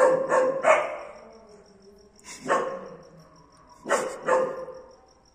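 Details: First barks of a German Shepherd dog with a black mask: quick triplet of yappy barks at the start, then single and paired barks at roughly one-and-a-half-second spacing, a thin high hum steady behind them.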